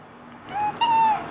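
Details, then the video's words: Domestic cat giving a dog-like falsetto: two thin, clear, near-level whining tones, a short one followed by a longer sustained one, quiet human voices around it. "【裏声】Theo's dog-like falsetto!"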